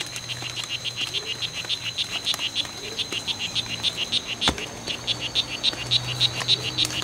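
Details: Male strawberry poison-dart frogs in a long fight at the C.R.A.R.C. reserve, September 10, 2012: a steady series of short, buzzy chirps repeated about three times a second, with a constant high-pitched hum and one sharp knock behind.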